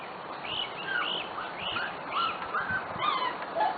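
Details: Corgi puppies from a special litter, almost six weeks old, give high, arched, whistled whines in quick succession, each rising then falling, with a soft noisy background.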